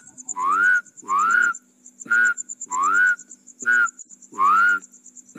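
A rice field frog gives rising, whistle-like calls about once a second over a steady high insect hum.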